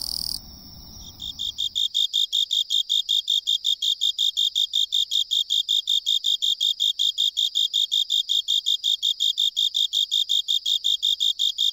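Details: In the lowland plains of western Japan, after a brief rustle, a Japanese burrowing cricket sings clear, high, metallic chirps repeated evenly, two to three each second, in a steady, unhurried rhythm.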